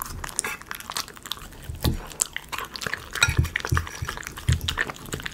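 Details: Close ASMR recording of a Miniature Schnauzer eating chicken pot pie dog food indoors: sharp crunches and clicks mixed with deeper thumping chews every second or so, heavy low-pitched chewing bursts.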